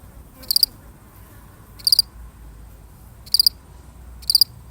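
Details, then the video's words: A single cricket repeats short, bright pulsed chirps about once every 1.3 seconds, steady and high-pitched, over a low, quiet background. "The sound of one lonely cricket"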